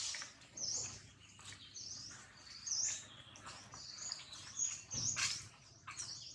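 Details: Crying of baby monkey Jinx, bitten hard by Jade: a continuous run of shrill, quavering squeals, some arching upward, broken by a few louder screechy bursts and soft low thumps.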